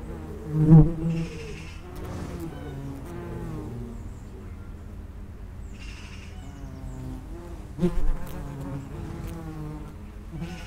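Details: Common wasps at the entrance of an underground nest, buzzing with layered low hums that rise and fall in pitch as insects fly in and out, with louder passes near the start and at eight seconds.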